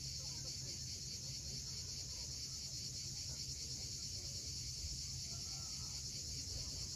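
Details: At sunset on Crimea's steep coast at Cape Fiolent, cicadas keep up an even, piercing buzz without pause while waves rumble deep in the background.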